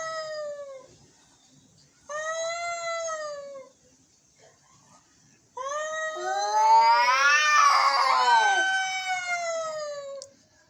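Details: Angry cats meowing: two short arched meows, then a long building wail with a second cat's wavering voice overlapping in a tense duet for about five seconds.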